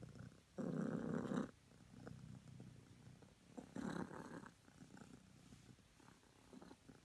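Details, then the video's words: A cream self British Longhair cat purrs in the morning: a close, deep rumbling purr with one strong loud burst near the start, a shorter swell later, then a softer steady purr. "The purr that wakes me in the mornings"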